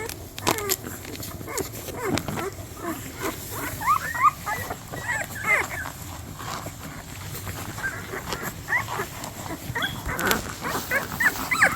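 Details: A litter of hungry 13-day-old Cane Corso puppies at a breeder near Nashville, Tennessee, recovering from canine infectious respiratory complex. Many short, high, rising whines and squeaks overlap continuously, with occasional louder snuffling bursts.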